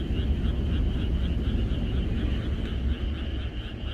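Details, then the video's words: Frogs chorusing in the countryside on the night before rain; many callers merge into a dense, trilling band of pulsed croaks that never stops, over a heavy low rumble. "비가 오려나?이것이 자연의 소리 ~개구리들의 합창"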